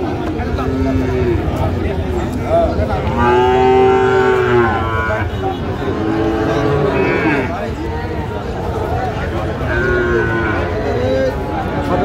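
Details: Young Sahiwal bulls for sale at a Dhaka cattle market, Bangladesh, 28 February 2025: several long, wavering moos, the strongest near the start, over constant talking, crowd babble and low traffic rumble.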